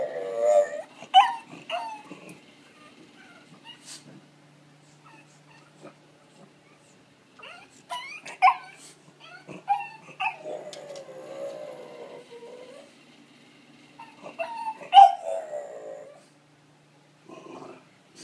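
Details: A pet dog greeting its people indoors gives scattered short yips and whimpers, with a few longer wavering whines around the middle and near the end, separated by quiet pauses.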